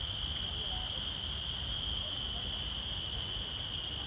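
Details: A steady, high-pitched forest insect drone rings on without pause, with a faint low rumble underneath.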